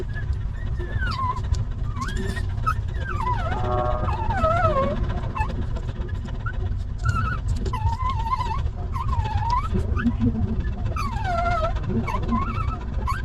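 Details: Stray mother dog with her litter of puppies, at the moment one of her puppies is picked up; high whimpering whines, rising then falling, repeat in short bursts through the clip over a steady low rumble of traffic-like noise.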